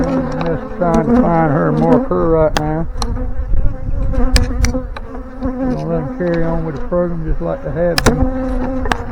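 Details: Honey bees from a swarm being installed into a hive, the comb already drawn with eggs and nectar; close buzzing hums that swoop up and down in pitch as bees fly past, overlapping passes, with sharp clicks and handling knocks.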